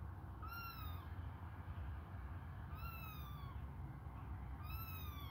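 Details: Hungry kittens suckling on a finger give three clear, high, falling meows, about one every two seconds, over a steady low rumble.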